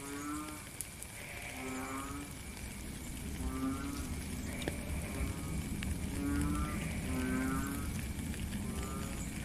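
A frog gives short, low, droning notes about once a second against steady rainfall.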